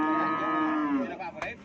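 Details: A cow at Keppo livestock market, Pamekasan, ahead of Eid al-Adha gives one loud, level moo rich in overtones lasting about a second and dipping at the end, followed by a brief knock amid market hubbub.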